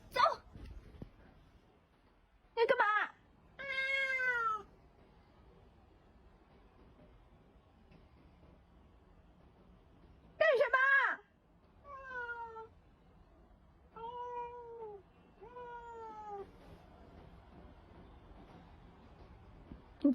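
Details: Domestic cat indoors giving love bites, producing drawn-out falling meows, some in short runs of two or three, between bursts of a woman shouting in Mandarin telling it to stop biting.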